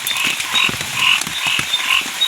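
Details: Several small frogs give short, bright, buzzy croaks in a steady overlapping chorus at night in the forest during heavy rain, 12 June 2026.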